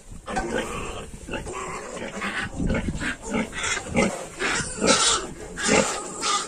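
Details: Yorkshire piglets, 22 days old, a group calling together: overlapping short grunts and squeals in irregular bursts, roughly once a second, with a dense, noisy texture throughout.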